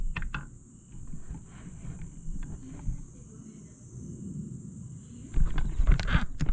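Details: Continuous shrill ringing of grass insects on a July 2022 night in Aewol on Jeju Island, under heavy low rumble, with short clattering knocks and bursts of noise near the start and end.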